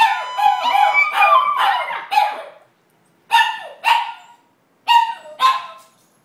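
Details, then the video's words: Excited by a fire alarm in their condo, two Chihuahuas give a quick run of yelping howls, then sharp single barks in pairs spaced about a second apart. "Two Chihuahuas Singing -Fire Alarm in our Condo"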